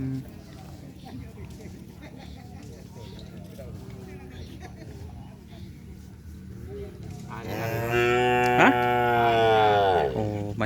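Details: Cattle at a kerapan sapi bull race field in Asemanis: after quiet crowd murmur, a loud drawn-out moo of about three seconds swells and then falls away at the end.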